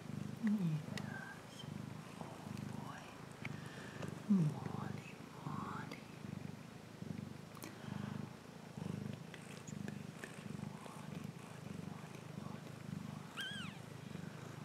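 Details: Cat purring in a steady low rumbling rhythm, each breath cycle swelling and fading about once a second, with soft human speech and a few brief higher squeaky sounds over the top.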